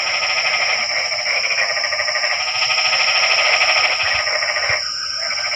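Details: Frogs calling at night in the rain, a dense, unbroken chorus of rapid pulsed croaks layered over one another, with a steady high-pitched hiss running continuously behind them.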